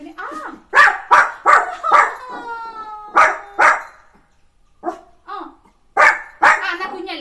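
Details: Pet puppy at morning time, playing with its owner, giving sharp high yapping barks in quick bursts, four in a row, then a pause and two more, while a person talks in Malayalam between them.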